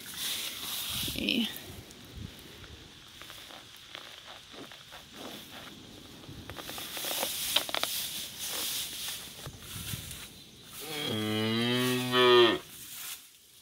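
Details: Lucky, a 3-month-old heifer calf recovering from a broken leg and wearing a splint, gives one harmonic, low bawl lasting about a second and a half near the end, after rustling, footsteps and handling noise.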